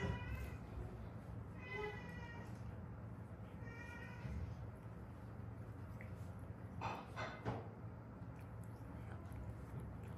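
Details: Stray cat from Haeundae, part of a rescued mother-and-daughter pair, giving a few short harmonic meows in the first seconds, then quiet room noise with faint clicks and a steady low hum.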